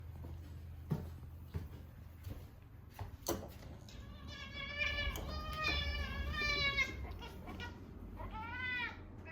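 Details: Female domestic cat crying repeatedly at mealtime: several drawn-out, harmonic meows with a rising-then-falling arc in the second half, after a few soft knocks and handling noises, with a woman's voice nearby.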